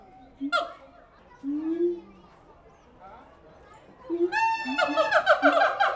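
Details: Siamang apes at the Tulsa Zoo: a few scattered low moaning notes and one sharp hoot, then a sudden rapid string of rising harmonic whoops building to the end.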